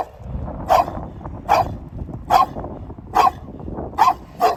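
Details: A dog barks repeatedly, giving six sharp, even barks spaced roughly 0.8 seconds apart over a low rumbling background.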